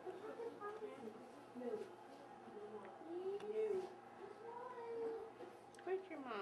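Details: Yellow Labrador Retriever puppies about one week old, part of a litter fathered by a dog named Nauset, give thin, curving squeaks and whines, rising then falling, scattered through the clip while a woman talks softly indoors.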